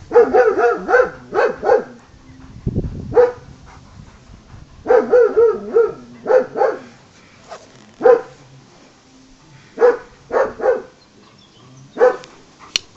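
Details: German Shepherd Kaiser, too impatient to wait when playing ball, barks repeatedly in short clusters of two to four sharp barks with pauses, plus a dull low thud early on.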